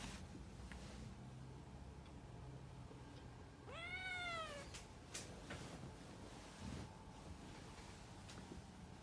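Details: A cat named Puran meowing indoors: one clear drawn-out meow near the middle, rising then falling with rich harmonics, amid low background rumble and a few soft clicks.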